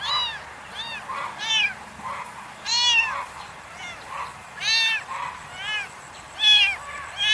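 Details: Kittens stalking butterflies on the grass give repeated short, bright, arching meows roughly every second, some louder and closer than others. A soft, steady background hiss runs throughout.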